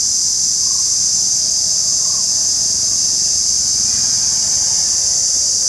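An Indian cicada keeps up a steady, piercing high-pitched shrill without any break.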